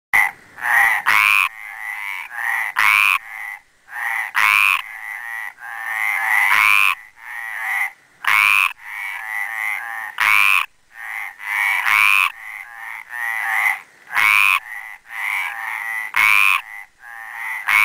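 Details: Male Mediterranean tree frog (Hyla meridionalis) calling at the Planxista pond, Les Preses, Garrotxa. Loud, harsh, rasping croaks come in quick runs of short pulses with brief pauses between bursts, and no other sounds are heard.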